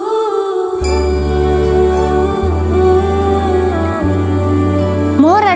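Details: Sustained, calm music with held chords and a drone begins after a short silence, and no barking or other animal sound can be heard.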